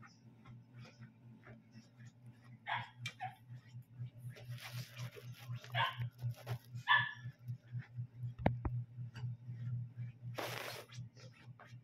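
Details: Smooth-coated dachshund giving a few short, tonal yelping barks spaced several seconds apart, over a steady rapid low pulsing throughout, with a couple of sharp clicks and a brief rushing noise near the end.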